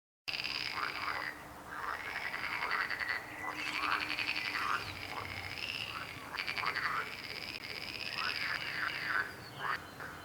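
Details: Frogs croak in a dense chorus, overlapping rattling trills and repeated pulsed croaks forming a continuous wall of sound, with brief dips in loudness and a faint low hum underneath.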